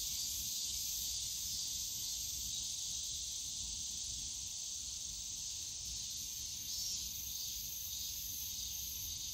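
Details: Cicadas calling in the bamboo grove of Yongsan Family Park on a summer day: a dense, unbroken high shrill hiss with slight waves in loudness, over a faint low rumble of park noise.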